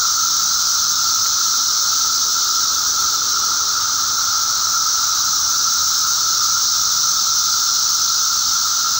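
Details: Periodical cicadas in a mass emergence, eastern North America, May 19, 2011: a constant high-pitched hissing drone from many insects, layered over a softer lower tone, without breaks.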